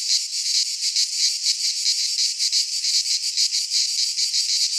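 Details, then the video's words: Shrill continuous cicada song from a pine forest in Greece in midsummer, a high hissing buzz pulsing several times a second with regular swells. "Cicadas singing in midsummer"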